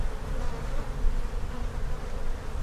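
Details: Brief stretch of honey bee colony noise during a hive inspection where queen cells are spotted, the keeper unsure whether a swarm is coming; a heavy low drone that pulses slightly in volume.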